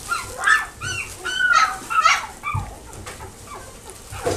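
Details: Chihuahua and Dachshund cross puppy in a pet shop in Nagoya, Japan, giving high, quick, arching yips and whimpers in rapid irregular bursts, roughly two per second, with some thumping noises in the room.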